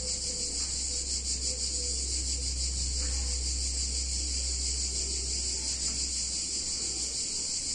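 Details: Cicadas singing on a hot summer day in a picturesque Italian town: a dense, steady high buzzing chorus with a fast pulsing shimmer, over a constant low hum.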